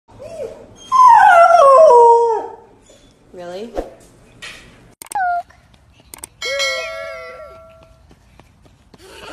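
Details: German Shepherd, apparently named Riley, in a home setting while being offered food: a loud, harmonic, wavering howl that slides downward over about two seconds, followed by shorter whines and clicks, with a person talking and background music.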